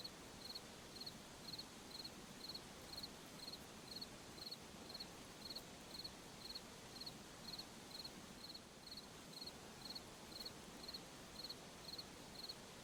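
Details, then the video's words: A forest at night carries a regular cricket chirping, high and clipped, repeating about every half second for some twenty-six chirps above a continuous low hiss. "Sound of Forest at Night, crickets, insects"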